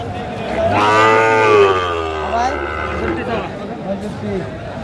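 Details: Sahiwal bull calf at a cattle market where Dhaka farmers buy calves, 15 February 2025: one long, loud, deep, drawn-out moo of about two and a half seconds that rises then falls, followed by a fainter, shorter moo amid crowd noise.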